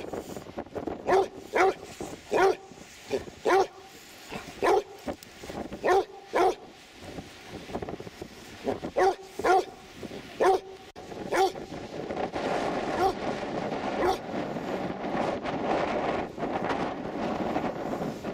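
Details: Dog at Three Cliffs Bay, Wales, on a sandy beach by the sea, barking in short sharp bursts roughly every half second to second for ten seconds, then quieter, with steady surf and wind rushing underneath.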